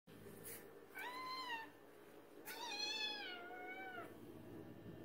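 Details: Cats demanding a late-night feeding: a short, rising-then-falling meow followed by a longer, drawn-out second meow, both clear and tonal over a quiet indoor background.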